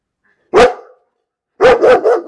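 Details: Dog barking: a single sharp bark, a pause of about a second, then a quick run of three or four barks in close succession against a silent background.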